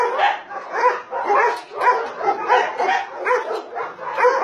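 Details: Dogs kept at a Nonsan, South Korea meat farm and puppy mill, January 2017, bark in rapid overlapping bursts, a steady clamor of several voices roughly twice a second.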